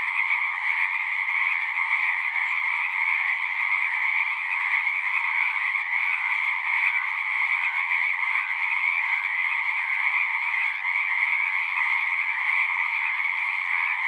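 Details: Many frogs singing together at a pond in a horse pasture, recorded with a Zoom recorder; a dense, unbroken, high trilling chorus of overlapping voices holds steady in loudness throughout, with no other sounds.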